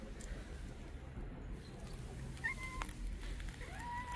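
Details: Mother street cat leading the way to her hidden kittens, meowing as if urging someone to follow: two short, faint meows with a steady pitch late in the clip, over low background rumble.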